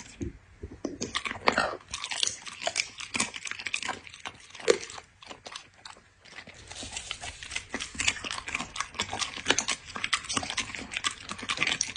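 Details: Indoor ASMR of a dog eating: after a quiet moment, dense crunching and biting take over, mixing brittle cracks with softer mouthing sounds. A lull around the middle is followed by renewed rapid chewing.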